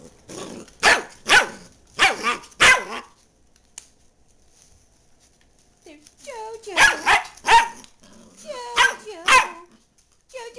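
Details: JoJo the dachshund barks in two rapid clusters of four or five sharp yaps, separated by a quiet stretch, with a person's voice talking between and over the barking.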